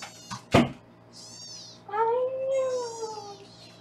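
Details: A foster kitten in Los Angeles, weighed indoors beneath a live kitten cam, gives a high squeaky mew and then a longer, clearer meow that bends slightly upward and fades, after a sharp knock.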